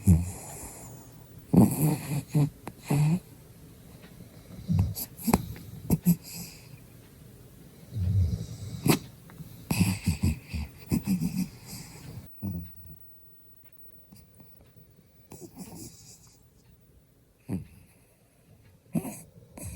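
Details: Byeoli, a sleepy puppy that loves its morning sleep, snores with a smiling face while asleep: rough, low, rumbling snores in irregular bursts, louder in the first half, then quieter breathing with a few sharp snorts.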